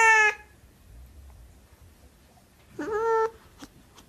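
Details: Siamese cat giving two short meows, a clipped one at the start and a slightly rising, drawn-out one near the end, with near silence between.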